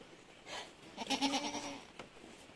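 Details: Goat bleat during kidding on an Anglo-Nubian farm in San Carlos City, Negros Occidental, Philippines, where seven kids were born in one day; a single drawn-out nasal bleat lasting under a second, with soft rustling before and a brief thump after.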